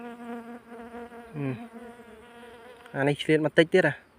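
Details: Bees buzzing as honey is taken from a wild nest near a sugar palm tree. A steady, droning hum runs for about three seconds, followed by a man speaking.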